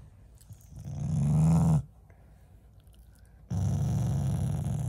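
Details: Affectionate growling from a family Shiba Inu that is not angry. Two deep, throaty rumbles are heard indoors: the first swells for about a second, and a second steady growl starts after a short pause and runs to the end.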